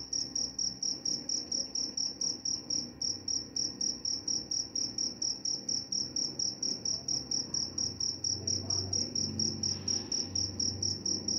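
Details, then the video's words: A single steady cricket voice, meant for sleep and for repelling mice, gives sharp high chirps in a fast regular rhythm; a low muffled rumble rises briefly toward the end. "Suara jangkrik pengantar tidur dan juga mengusir tikus."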